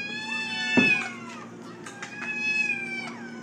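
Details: A domestic cat makes a soft, long, level meow lasting several seconds, with a sharp knock near the start and faint clicks and room noise behind.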